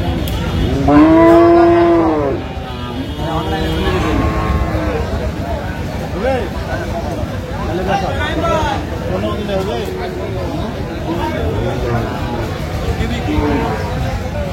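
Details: Dairy cow of an improved breed at the Aftabganj livestock market in Dinajpur, 17 June 2025, gives one loud, drawn-out moo that swells and fades over about two seconds, followed by busy bargaining voices and market noise.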